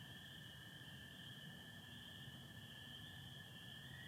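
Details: Michigan night chorus, April 24, 2025: spring peepers with American toads under stars and patchy cloud; a constant high peeping band and a lower continuous trill persist, with a slightly stronger low rumble in the background.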